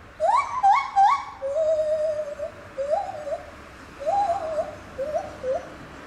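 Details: Lar gibbon in song at Safaripark Beekse Bergen, 9 July 2021: three loud rising whoops in fast succession, then a drawn-out flat note and repeated wobbling hoots.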